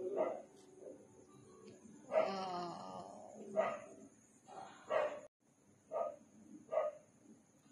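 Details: Dogs barking at night on an empty residential street: short loud barks spaced about a second apart, with a voice speaking quietly in between and a steady high electrical hum throughout.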